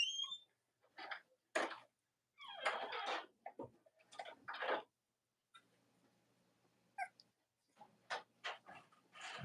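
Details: Cavalier King Charles Spaniel puppies from mothers Robin and Myra, indoors on a chilly late-October morning: high, squeaky whines and short yelping bursts in irregular clusters, some thin whistled notes, separated by quiet gaps with faint low background hum.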